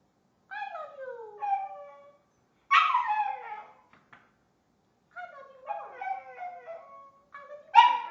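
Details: Pet dog taught to mimic "I love you" with its voice. It gives drawn-out, wavering howls and whines in three phrase-like bursts, each sliding up and then down, with short silent pauses between them.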